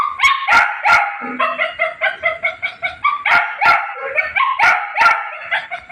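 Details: Young puppy producing rapid, repeated high-pitched yips and squeaky whines, several short notes each second with sharp bark-like accents mixed in.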